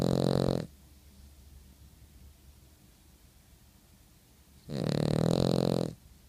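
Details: Sleeping dog snoring: a loud, rumbling, buzzy snore at the start, then about four seconds of quiet breathing before a second long snore lasting over a second.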